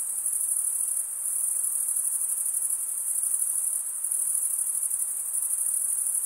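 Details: A dense mass of chirping crickets, the sound made by males rubbing their wings together, gives a sustained very high, buzzy trill with gentle swells and small dips in loudness and no other sounds.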